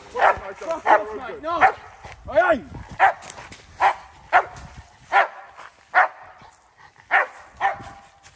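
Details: American bulldog during woodland protection training, barking at a decoy: irregular loud barks roughly every half to one second, mixed with strained whining yelps early on and a person's voice.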